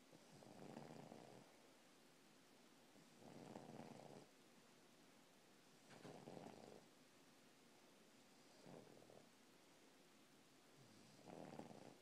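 An English bulldog snores in deep, rasping bursts, each lasting about a second, roughly every two to three seconds.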